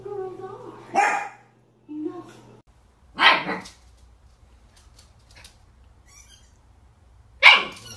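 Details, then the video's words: Three separate puppy barks, each short and harsh, spaced a few seconds apart, with human talk and a low hum at the start; taken from a compilation of cute barking puppies. "Puppies Barking - A Cute Dogs Barking Videos Compilation"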